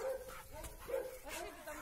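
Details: Labrador Retriever brothers Oskar and Graf playing together at their reunion; several short mid-pitched barks and yips sound amid rustling, with a man speaking faintly nearby.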